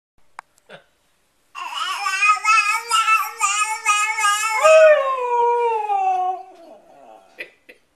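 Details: Siberian Husky howling together with a baby indoors: a long wavering harmonic howl rising and falling for about five seconds, then sliding downward and fading, with a few soft clicks before and after.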